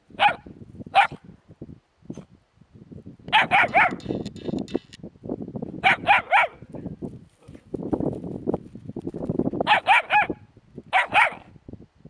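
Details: Puppies with a hedgehog: high, sharp yips arrive in quick bursts of two to three, with short gaps between. Lower rustling and snuffling noises fill the pauses between bursts.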